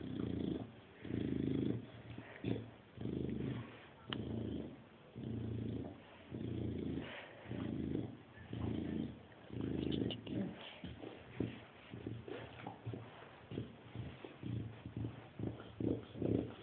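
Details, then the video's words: Chow Chow grunts like a pig: a long series of low, rumbling grunts, slow and even at first and then quicker and choppier, mixed with snuffles and small clicks. "Чау чау хрюкает Chow chow grunt like a pig Chow chow grunzen wie ein Schwein"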